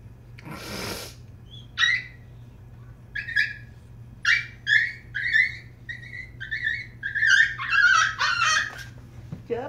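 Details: Niro and Kyno, two sleepy 86-day-old Shiba Inu puppies, whimper indoors: a run of short, high whining cries that come closer together and grow louder toward the end. A brief rustling burst comes first, over a low steady room hum.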